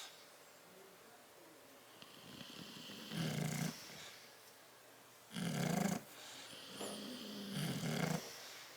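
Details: Sleeping bulldogs Tyson and Tyra in a crate, 10/30/12, give three spaced, gurgling snores after a quiet start, each a short low vibrating rumble with a breathy edge, separated by hushed breathing.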